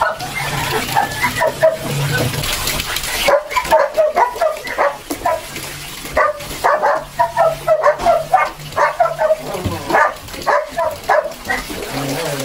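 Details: Several Belgian Malinois puppies yelp while being bathed and dewormed for the second time in the Philippine countryside; a sharp, rapid series of high yips and short barks, with running water and voices behind.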